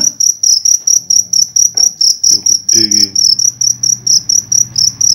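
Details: Cricket captured at night in Indonesia, kept for tutoring songbirds, producing loud, evenly spaced, piercing chirp pulses around three per second, with people speaking quietly in the background.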